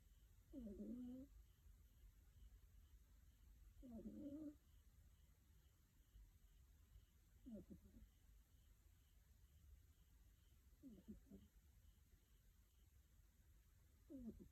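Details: Five-month-old female kitten snoring while asleep: soft, short rasping snores repeating roughly every three to four seconds over a steady low background hum.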